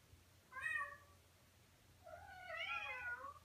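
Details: Calls from a lovestruck male Persian cat to an on-screen cat he has fallen for: a short bright meow, then after a pause a longer, wavering, rich-harmonic meow that rises and slowly falls.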